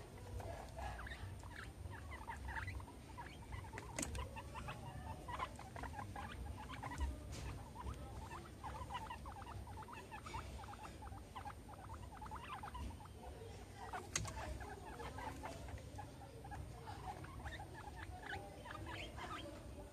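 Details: Two pet guinea pigs, Meadow and Sandstorm, at playtime with a soccer ball and an American football; short high squeaks come repeatedly over a steady low hum and soft pattering.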